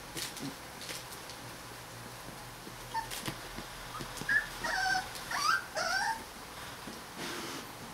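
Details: Rottweiler puppies of the E litter vom Zauberwald, 21 days old: thin, high wavering whimpers and squeaks cluster in the middle, some rising then falling, with soft rustling and bumping of bedding before and after.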